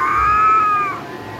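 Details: Domestic cat in a fight: a long, tense, nasal caterwaul holds an even tone, then slowly falls and fades after about a second.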